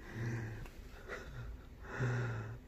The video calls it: Part 2: Adorable! Egyptian Mau Cat Gets Woken Up, Makes Cute Sounds